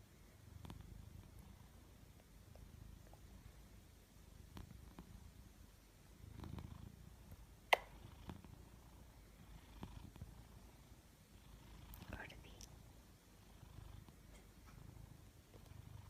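A sleeping Maine Coon cat snores softly in low, rumbling breaths that swell every few seconds.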